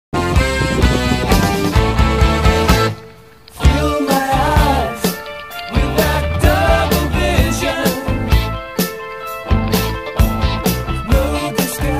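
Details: Loud rock music with singing and a steady beat plays throughout, with a brief drop in volume near three seconds.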